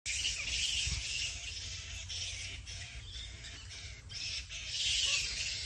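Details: Bat. Many bats call at once in a dense, unbroken chatter of high, harsh squeaks and scratchy screeches. Thin whistled notes rise out of the noise now and then, over a low background rumble.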